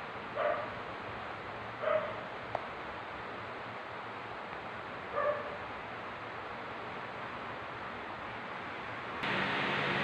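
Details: Park cats in Amoranto Park, captured with an OPPO A5s smartphone, give three brief mewing calls within the first five seconds, then a quiet stretch, ending in a sudden burst of broad rushing noise.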